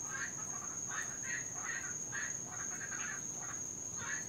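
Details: Invasive Cuban tree frogs calling at night in Florida, often louder when raining; short raspy snoring croaks repeated roughly every half second, over a constant high-pitched whine.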